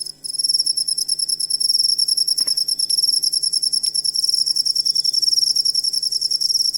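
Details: Cricket song as songbird training material: after a brief pause, high, rapidly pulsing chirps run on continuously, with one sharp click partway through and a faint low hum.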